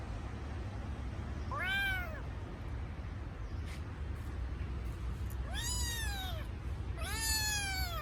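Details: Kitten that misses its mother gives three brief bright meows, one near the start and two close together at the end, each rising then falling, separated by a quiet stretch of background hum.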